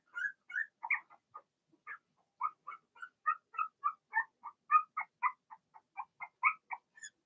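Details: Squeaking from a pen of six Blenheim Cavalier King Charles Spaniel puppies, two females and four males, whelped in early March: quick high yips tumbling out about every half second, steady and unbroken for several seconds in a quiet room.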